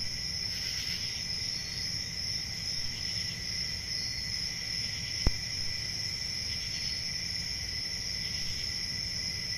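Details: Summer-night forest crickets keep up a constant high-pitched ringing trill over a softer lower tone, softly pulsing, broken once by a single sharp click midway.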